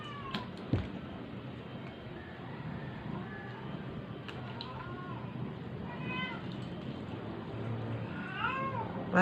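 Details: Weak stray cat, struggling and near death while being force-fed, lets out several faint, thin meows spaced across the recording over constant hiss, with a few clicks and knocks from handling.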